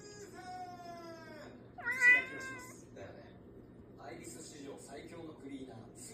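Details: A rescued pet cat meowing because it wants to play with its owner: a drawn-out, steady, slightly falling meow, then a shorter, louder meow that rises and falls. Faint soft rustling and quiet household sounds follow.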